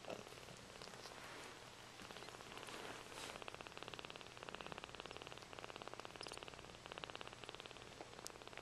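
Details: Freshly bathed Sphynx mother cat with her kittens; continuous low purring pulses evenly for the whole stretch, growing slightly stronger in the second half, with soft rustles of movement around it.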